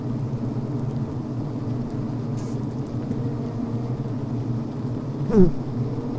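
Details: Steady low hum of a healthy honey bee colony recorded inside the hive on the brood frame, with a short rising buzzy bzzt near the end as a worker pushes at the recording device.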